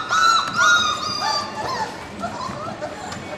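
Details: Four-week-old puppies from a litter born March 7, 2010, give high, thin whines that rise then slide down, two long ones early, followed by shorter yelps and softer whimpers trailing off.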